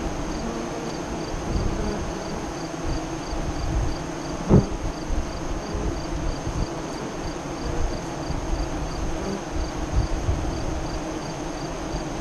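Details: Honey bees at a west-facing hive entrance five miles east of Lyons, Nebraska, during the 2017 eclipse, 2:48–3:00 CDT: a low, steady droning hum of many wingbeats, with one sharp click partway through and a faint constant high tone.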